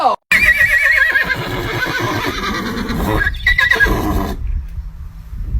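A horse gives a loud, quavering neigh that wavers up and down, with people laughing nearby.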